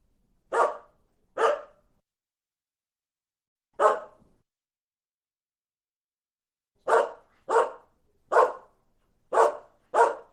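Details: Single dog giving short sharp barks, two quick ones, a lone bark after a pause, then a run of five barks spaced under a second apart; clean, quiet background.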